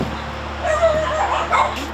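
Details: Dogs confined on a crowded Korean dog breeding farm, mixed breeds kept together, a mother dog among them; thin, high whimpers and short yips rise and fall in brief bursts over a steady low hum.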